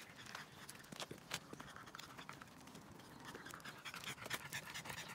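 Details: French Bulldog during a morning walk on 3 May 2023, heard as short, airy, rapid panting breaths and sniffs, irregularly spaced and hissy, amid outdoor ambient noise.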